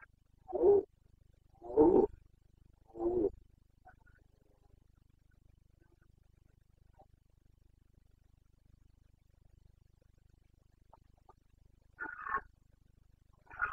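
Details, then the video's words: Carpathian red deer stag in the Bucovina mountains, Romania, roaring during the rut on 29 September 2022: three deep, hoarse bellows about a second apart, then quiet, then two more rough roars starting near the end. "Boncănit / Carpathian stag Breeding season"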